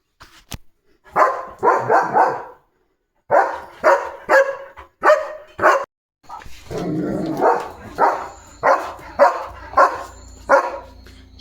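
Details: German Shepherd named Leo in a home courtyard, already limping on one leg, giving loud barks in short clustered bursts between a person's hushing words, with a steady high electronic whine behind.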